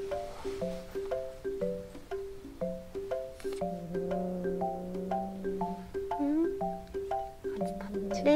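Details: A light, repeating marimba and glockenspiel melody plays throughout, with soft speech underneath.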